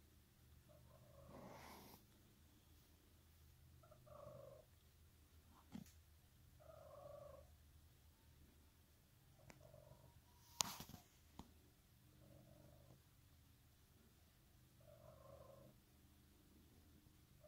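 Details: Faint, continuous low purr from Emerald, a pet cat, under quiet mid-pitched tonal sounds repeating every two to three seconds, with occasional clicks and a loud rustling burst near the middle.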